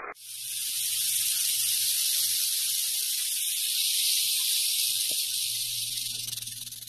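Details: Wild western diamondback rattlesnake in Arizona, recorded 11 March 2017: a continuous, steady high buzzing rattle lasting the whole seven seconds with no breaks, plus a faint low hum.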